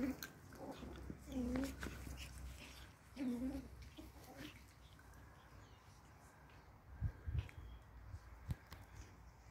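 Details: Four Pomeranian toy puppies playing indoors: two short, whiny, rising-then-falling yelps about two seconds apart, followed by softer rustling, thumps and scuffling of play, with faint voices in the background.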